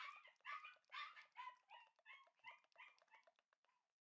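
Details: Shiba Inu puppies, a red male and a white male bred for show, give a steady run of sharp, harmonic yelps about twice a second. The yelps fade and soften toward the end in a small indoor space.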